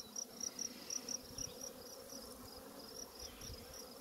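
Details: Western honey bee swarm from overwintered hives, with swarms everywhere, gives a low, steady hum with high repeated insect chirps above it.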